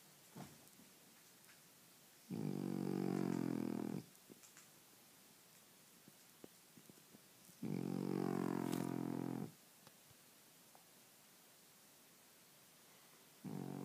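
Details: French Bulldog asleep, giving harsh, vibrating snores lasting about two seconds each, two full ones roughly five seconds apart and a third beginning at the end, with quiet snuffles between.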